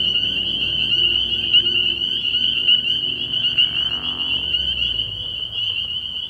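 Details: Spring peepers calling at night from a frog pond early in the year: a dense, unbroken chorus of high, shrill peeps, overlapping so thickly they merge into a steady ringing band, with faint low murmurs beneath.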